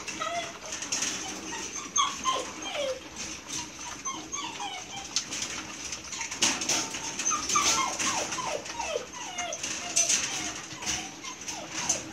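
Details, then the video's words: Belgian Malinois puppies, gray and dark sable, at milk feeding time: a busy stream of high, thin whines that slide downward, overlapping and repeated every second or so, over clattering and rustling handling noise. "Belgian Malinois Puppies Milk Feeding Time"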